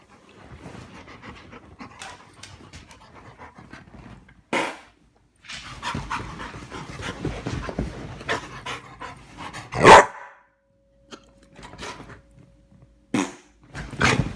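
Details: Sunny, a yellow Labrador Retriever, gets excited as its owner makes fart sounds: quick rhythmic panting runs through most of the stretch, broken by several sharp, loud bursts of noise and short silent gaps.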